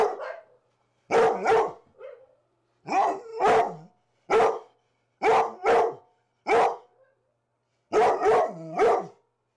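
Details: Rhodesian Ridgebacks Zahara and Weya tearing it up in the morning, barking in pairs and triplets of deep, hoarse barks roughly every second or two.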